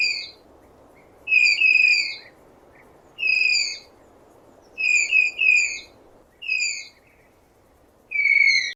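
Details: Tapir producing shrill, slightly descending whistles in short bursts, several paired closely together, around seven calls in under nine seconds, backed by steady low rumbling noise.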